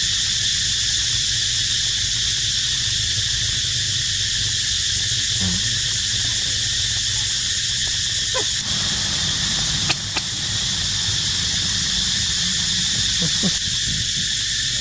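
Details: Cicadas crying in a constant shrill whine that fills the upper range without a break. A few short knocks and rustles are heard, along with brief low sounds near the middle and end.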